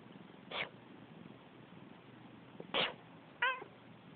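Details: House cat that hates sneezing, talking back after its owner's sneezes: two abrupt human sneezes, then one short, clear meow near the end, in a quiet indoor room.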